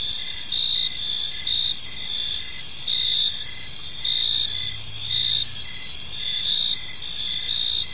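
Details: Evening cricket chorus in a quiet park: layered high, ringing trills hold steady while brighter pulses swell about once a second, with soft low background hum.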